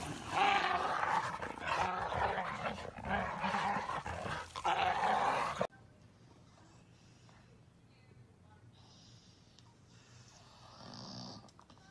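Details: Bull Terrier in a funny pet compilation, rough growling and grumbling for about five and a half seconds in loud noisy bursts, then a sudden drop to quiet background with faint soft sounds.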